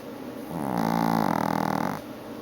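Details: Female Chihuahua snoring during an afternoon nap indoors: one long, drawn-out tonal snore of about one and a half seconds, buzzy and harmonic, rising slightly then falling away, with quiet room hiss before and after.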